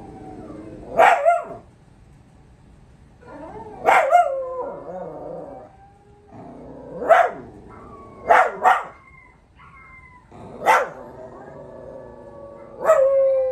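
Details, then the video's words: Puppies taking part in a dog howl challenge give six bursts of sharp yips and barks, a few seconds apart, mixed with short whining howls between them. "Dog howl challenge"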